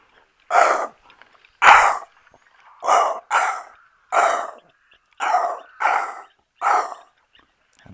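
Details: An impala gives harsh, bark-like alarm snorts, repeated in irregular bursts about once a second; the alarm also startles nearby zebra.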